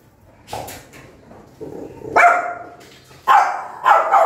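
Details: Mother dog angrily barking at her newborn puppies: a soft early yip, then three loud, harsh barks coming closer together toward the end, with faint low background noise.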